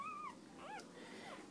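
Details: Whining from a female Border Collie cross puppy, number three in the litter, sire a Border Collie and dam of unknown breed: a sustained high whine sliding down, then a brief arched whimper in a quiet room.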